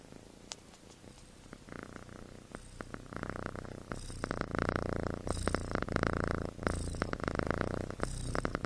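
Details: Sleeping kitten with human-like snoring, a soft low rattle that grows louder after a few seconds into repeated buzzy breath swells.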